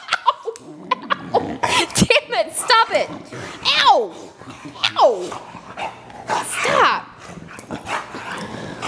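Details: Female pet dog in a living room, worked up and excited after raspberries are blown at her, giving several drawn-out, sliding, wavering yowls that bend downward, mixed with a woman's talking and laughter.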